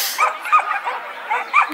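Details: Schapendoes dog competing at an agility trial in July 2015: about four short, high, whiny yips in quick bursts within two seconds, close and loud.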